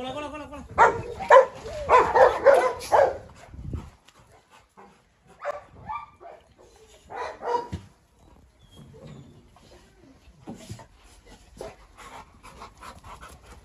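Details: A fast run of deep barks from one of three dogs (a Presa Canario, a Rottweiler and a Staffordshire) as the Presa Canario confronts the Rottweiler, then the barking stops and a man talks with scattered quieter barks.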